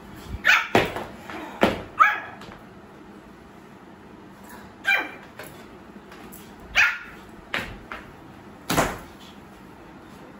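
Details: Young Pomeranian puppy producing its first little barks: sharp, high yips in pairs and singles, roughly eight across ten seconds with pauses between, indoors in a small room.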